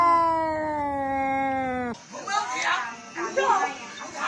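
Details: Pet cat in a funny compilation producing a sustained, slowly falling howl for about two seconds, cut off abruptly and followed by jumbled chatter and noise.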